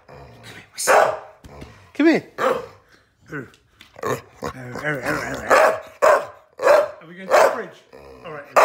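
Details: Staffordshire Bull Terrier x Rhodesian Ridgeback female, indoors, objecting after being laughed at: a mixed stream of barks, wavering whining yowls and grumbles, with irregular loud barks and a human voice in the background.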